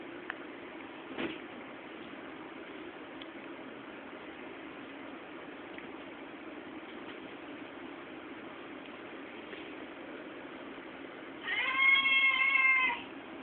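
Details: Cow Cow, a pet cat, gives one drawn-out, tonal meow of about a second and a half near the end. Before it comes a long stretch of steady low hiss with a faint knock early on.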